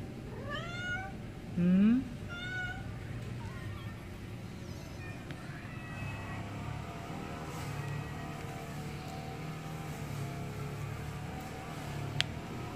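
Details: A quick run of several short, high kitten meows in the first three seconds, one sharp rising cry louder than the rest, then quieter faint mews and a low rumbling background.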